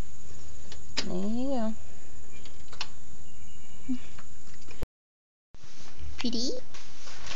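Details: Talkative, strange domestic cat kept by grandparents, giving a drawn-out wavering meow of about a second, then after a short pause a briefer meow that dips and rises again; steady low hum underneath.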